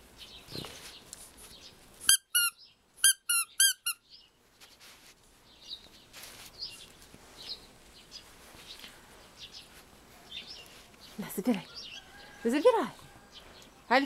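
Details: Rescued red fox from a fur farm, kept as a pet, screaming indoors while handling a stuffed toy squirrel as prey: a run of sharp, high, stacked cries around 2 to 4 seconds, then scattered squeaks and rasping calls, with rustling.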